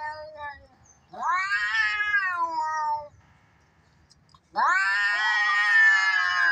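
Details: Cats fighting give two bouts of tense, strident yowling. The first rises sharply and sags over two seconds; after a quiet pause a second, louder yowl climbs and holds, harsh and sustained.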